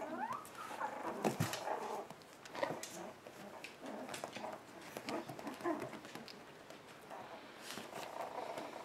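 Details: One-month-old puppies in an indoor play pen, filmed on January 7th: brief high whimpers and soft grunts break through constant scratching, clicking claws and rustling as the litter moves about.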